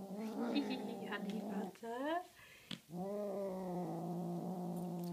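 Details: Honey Butter the Tonkinese cat growls while playing with a feather toy. A rumbling growl is broken by a brief, rising, wavering vocal sound, then a steady low growl returns and carries on.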